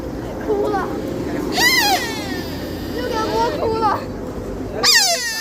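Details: A deer in Nara calls with strained, nasal, high squealing bleats, each bending up then sliding down, a few seconds apart, over a steady hum of outdoor noise and faint voices.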